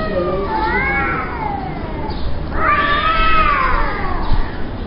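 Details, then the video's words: At noon, two fighting cats trade wailing yowls: a wavering howl that falls, a pause, then a louder, longer howl that swells and bends downward, all over a rumbling background. "Caught Two Cats Fighting at Noon"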